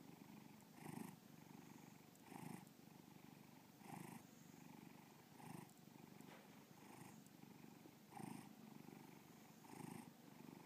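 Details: Pet cat Bubba purring, shown in a 2013 solo art show at Breakneck Gallery, Lakewood, Ohio; continuous throaty vibration rising and falling with each breath, around seven pulses.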